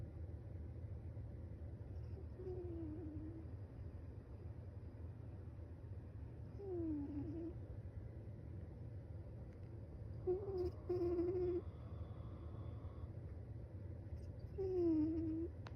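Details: Snoring from a sleeping cat, with four faint whistling tones that dip and level off, spaced about four seconds apart like breaths. A constant low hum runs underneath, and a brief higher rustle comes near the middle.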